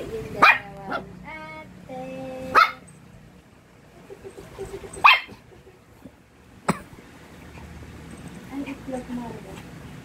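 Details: Mixed Shih Tzu pet dogs, Yuki and Potchie; four sharp, short barks at uneven gaps of one to two seconds, with people talking in between and a quieter, whiny vocal stretch near the start.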